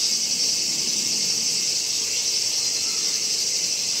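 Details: A Kaempfer cicada at Gongenyama Bird Sanctuary, Japan, on 11 August 2017, alongside a horsefly. A dense, unbroken high-pitched hiss-like drone holds an even loudness throughout, with soft low rustling behind it.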